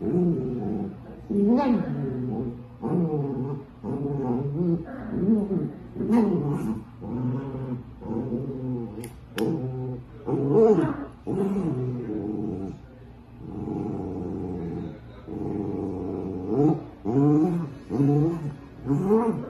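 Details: Dachshund growling and grumbling in a long run of throaty, low, harmonic moans that rise and fall, each lasting about a second, almost without pause, with faint speech in the background.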